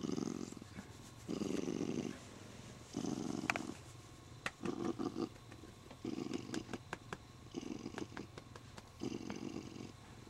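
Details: Happy male Siamese cat being stroked, clutching its owner's arm and purring in repeated low rumbling bursts, mixed with crisp clicking and rustling handling noises in the middle stretch.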